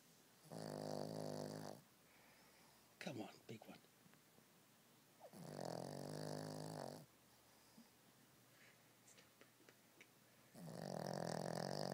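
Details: Pet dog snoring indoors: three long droning snores, each about one and a half seconds, separated by quiet gaps with a burst of rustling and clicks, and a person speaking briefly.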